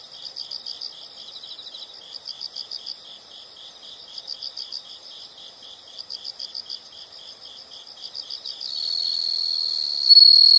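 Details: Insects chirping in short rhythmic bursts of rapid high pulses, about four bursts each second in clusters, with a louder continuous shrill trill rising in near the end.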